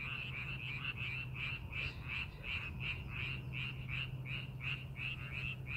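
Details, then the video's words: Chorus of frogs in a rice field readied for farming in Korea. Rapid, evenly spaced nasal croaks pulse nearly three times per second, several frogs overlapping. A constant deep hum, like distant machinery, sits underneath. "농사준비하는 논에서 개구리 울음소리"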